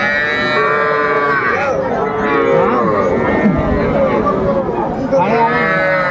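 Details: Cattle calves at a Faridpur, Bangladesh market where small bulls and heifer calves are bought: several overlapping moos, rising and bending, beneath constant crowd chatter and bargaining voices.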